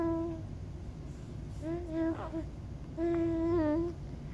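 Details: Maltese dog howling indoors: three drawn-out, tonal notes, each holding a steady mid pitch with rich overtones and dipping slightly at the end, the last and longest lasting close to a second, separated by short pauses.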